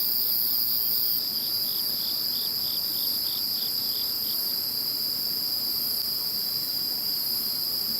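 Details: Insects calling after Typhoon No. 21 has passed: a dense, steady, shrill chorus of several high continuous trills layered together, with a lower pulsing chirp repeating rapidly for the first few seconds before fading out.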